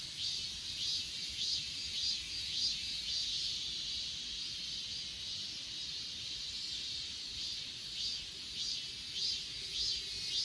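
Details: Grass insects on Achasan mountain, recorded with an S20 Ultra phone: a dense, high-pitched shimmering chorus with soft pulses repeating roughly twice a second over a steady hiss, and no other clear sounds.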